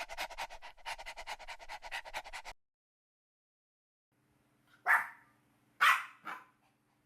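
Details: Dogs playing together on a green meadow: a run of quick, rhythmic panting-like huffs, then a pause, followed by two sharp, loud barks about a second apart and a softer third yelp, over a faint low hum.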